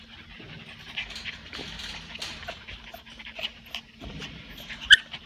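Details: Twelve-week-old Miniature Australian Shepherd puppies moving around together in a playpen: soft panting and scuffling throughout, then one brief high yelp near the end.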